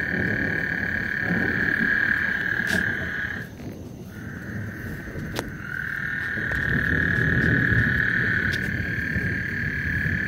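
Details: Frog chorus on Lake Houston ahead of a thunderstorm: long, even, high buzzing trills that break off briefly near the middle and then resume, with a deep rumbling noise underneath and a few sharp clicks.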